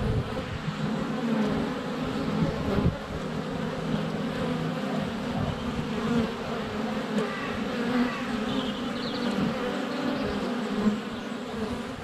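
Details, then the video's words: Constant low hum of many honey bees flying around a hive entrance on a sunny February day, close GoPro Hero 7 Black recording; wavering drone with brief louder passes and a faint high bird chirp near the end. "Honey Bees - ambient video and audio"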